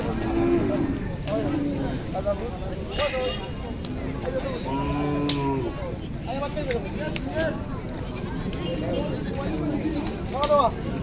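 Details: Native local and small cows at a 2019 Gorur Haat cattle market in Bangladesh: several drawn-out, low moos with arching tones rise above a dense crowd of chattering voices and general market bustle.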